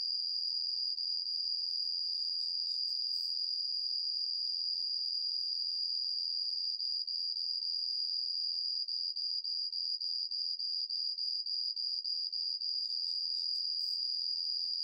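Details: Homoeoxipha obliterata cricket song with skilfully changing tempo: a very high, thin continuous trill held steadily at first, then breaking into rapid regular pulses for several seconds before smoothing out again; faint high hiss behind.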